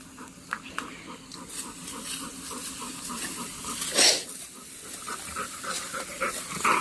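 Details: Golden, a pet Labrador dog, out in a farm field at the family's village of Kalsuli; soft, rhythmic panting breaths in short bursts, with a person calling and talking in Marathi close by.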